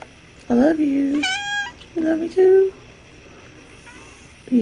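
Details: Domestic cat meowing while patiently waiting for its owner to wake up; three drawn-out, tonal meows in quick succession, one higher and bending upward, then another starting at the end, indoors with a person speaking softly nearby.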